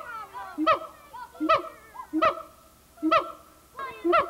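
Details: Captive siamang gibbon at the Memphis Zoo, 1990, being noisy; sharp honking barks repeat roughly every three-quarters of a second, each with a short upturned hoot in between, from an old VHS tape.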